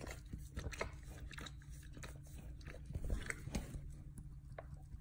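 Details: Dog eagerly gnawing and licking its hindquarters: sharp crunchy snaps and wet smacking clicks in uneven bursts, with a faint low background hum.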